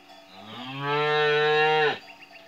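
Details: A calf in a yard, kept outdoors in hot weather at its new place; one long, drawn-out harmonic moo that rises, holds steady for about a second, then drops off sharply.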